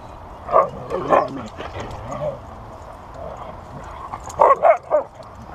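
A Siberian Husky 'sings' in short, wavering yowls and yips, coming in brief clustered bursts.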